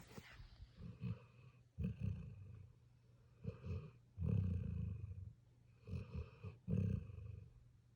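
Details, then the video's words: A sleeping puppy snores with low, rough, rasping breaths that come in irregular bursts, some close together in pairs, separated by quiet pauses. "Puppy snores"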